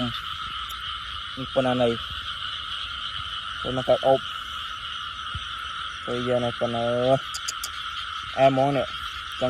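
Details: Frogs calling at night in Cambodia while people hunt them by lamplight: four bursts of low, nasal, harmonic croaks, each burst two or three quick notes, over a steady high insect chorus.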